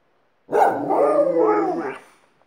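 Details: Alaskan Malamute howling at home, a second dog learning from it: one sustained, wavering howl of about one and a half seconds, rich in overtones, slightly rising near the end before trailing off.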